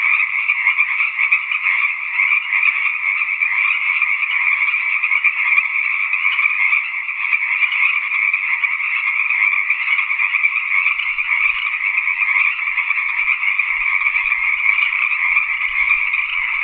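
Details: Steady tree frog chorus sustained throughout, countless rapid trills merging into a bright, constant buzzing drone with slight flickers in loudness, and a few soft low rumbles toward the end.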